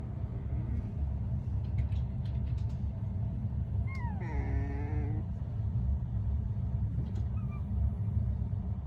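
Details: A sleeping Corgi puppy makes an odd noise while snoozing, a brief, squeaky, wavering whine over a steady low rumble.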